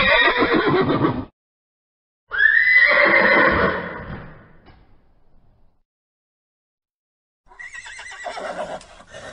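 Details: A horse opens with a loud rough neigh lasting about a second. After a pause comes a long, high, tremulous whinny that falls and fades. A shorter, quieter whinny is heard after silence near the end.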